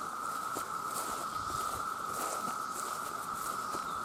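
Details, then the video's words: Millions of male cicadas calling to attract females make a continuous, even-pitched buzzing drone, overlaid with irregular patter like footsteps or rustling. "The Sound of The Cicada"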